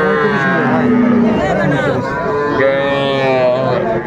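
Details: Sahiwal bull calves at a Dhaka livestock market in Bangladesh, February 11, 2025; a low, steady bellowing moo, then a higher-pitched call, heard over a crowd of people talking nearby.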